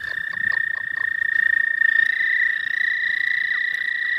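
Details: Suspected American toads trilling in spring in the southern half of the state: a long, even, high-pitched musical trill joined by a second, slightly higher trill partway through, with faint low croaks early on.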